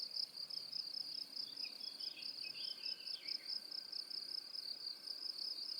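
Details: High, piercing cricket pulses repeat rapidly and regularly in this tinnitus masking sound, while a brief, faint twittering chirps beneath them in the middle.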